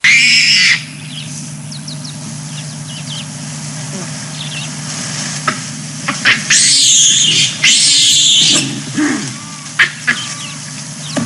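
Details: Chacma baboons squabble in the morning in Balule Nature Reserve bordering Kruger National Park, on 4 Sept 2022. Raspy, high screams come in bursts of about a second, with quieter chatter between and a constant low mechanical hum beneath.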